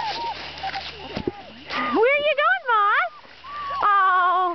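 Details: Puppies from NEBCR walking outside produce drawn-out, wavering whines, a few rising and falling several times, alongside a person talking and encouraging them onward.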